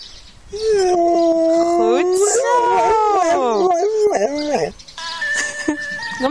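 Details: A female dog howls in response to a played ambulance siren, her first attempt at being taught to howl on command; wavering, sliding howls rise and fall over steady two-tone siren notes, with some whining.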